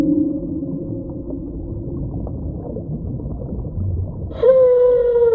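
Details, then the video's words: Whale sound: mostly quiet rumbling water noise at first, then near the end a sudden loud clear tonal cry with rich harmonics, held briefly and sliding slightly downward. "Whale Sound Effect"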